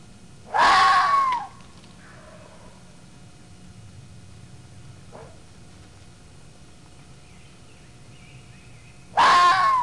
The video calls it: Scream of the red fox